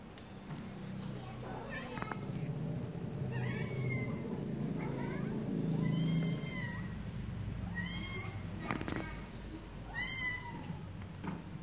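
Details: Cats meowing: a run of short, high meows repeated at irregular intervals over a constant low rumble, with occasional sharp clicks.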